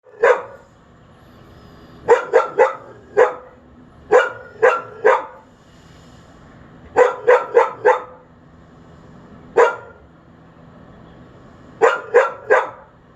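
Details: Unsupervised dog left outside, barking at a neighbour it can hear at a bathroom window, late morning on 28 May 2022: loud sharp barks in bursts of one to three, repeated every couple of seconds, quiet between.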